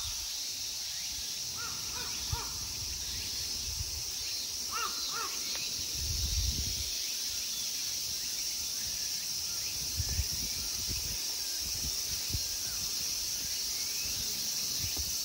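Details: In a temple park at Ikegami Honmonji, Tokyo, Japan, in summer, a steady, high, hissing insect chorus runs throughout, with a few crow caws early on.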